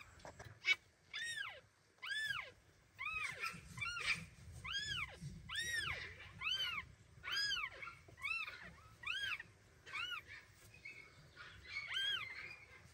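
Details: High, arched mews from mother cat Kira's newborn kittens repeat steadily about every half second to a second, a clear run of nearly identical cries while she hurries them away from the scale in her teeth.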